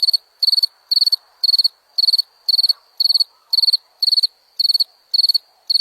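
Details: Cricket chirping steadily: high, shrill chirps of four to five quick pulses each, repeated roughly once per second in an even rhythm, with nothing else audible behind.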